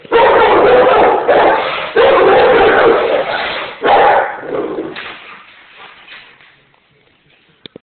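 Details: A roughly one-year-old Rottweiler protecting the house gives loud, drawn-out barking in three long bursts of about two seconds each, then trails off into quieter fading sounds and near silence.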